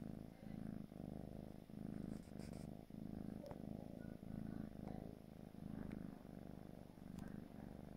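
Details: A 4-month-old gray British Shorthair kitten purrs steadily, a low rumbling drone pulsing with each breath.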